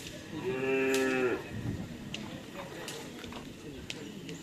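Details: Cattle at a crowded karapan sapi bull-race training session on the Asemanis field in Pamekasan. One steady, drawn-out moo lasts about a second, followed by a broad murmur of crowd noise.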